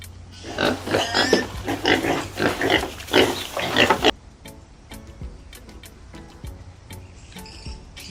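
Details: Pig on a farm giving a rapid series of rough, noisy grunts for about four seconds, followed by soft background music with light ticking beats.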